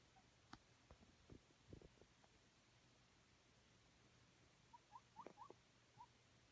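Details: A male guinea pig in a cage covered with a blanket in a cold room gives soft, short squeaks to ask for food and water, after a few light taps.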